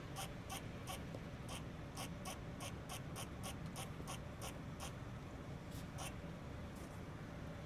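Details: Friendly squirrel perched on a chimney making wild noises. Sharp, clicking chirps repeat in a steady run of about two per second, pause briefly, then resume, over a constant low background rumble.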